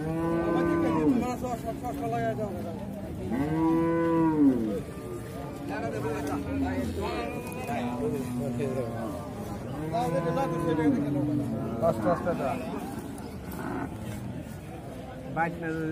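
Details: Cows mooing: long, drawn-out harmonic moos, several overlapping, each arching up and falling back, repeated roughly every three seconds, with faint people's voices in the background.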